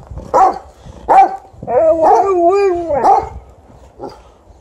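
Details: Angry Golden Retriever denied bread, giving two short barks, then a drawn-out, wavering, moaning whine-grumble lasting over a second, followed by another bark and a softer final yip.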